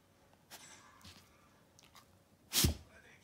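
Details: A Golden Retriever named Lulu sneezes once: a single sharp, explosive, broadband burst near the end, preceded by a few soft sniffing puffs in an otherwise quiet setting.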